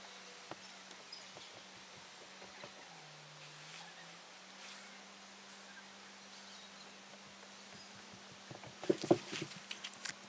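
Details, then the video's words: A Bombus bumblebee fending off an inquisitive fly gives a continuous low droning hum that sags briefly in pitch before recovering, then ends amid a burst of scratchy rustling and tapping. "Kimalainen Bombus"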